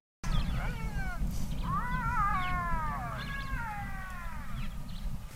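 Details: Black-backed jackal calling for its mate at night near Marataba Mountain lodge by Marakele National Park, Limpopo, South Africa; pairs of male and female communicate this way. Series of high, wavering, descending wails, with low rumbling engine noise beneath.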